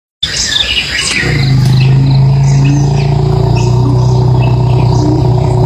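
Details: Elephant rumbling: a deep, steady low drone with stacked harmonics that holds for about four seconds, while birds chirp and twitter in the background throughout.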